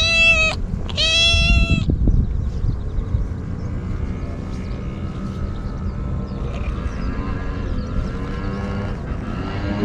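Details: Cute stray kitten meowing frantically while devouring Churu and Sheba: two loud, bright harmonic meows in quick succession at the start, then faint tonal background sounds over low rumble.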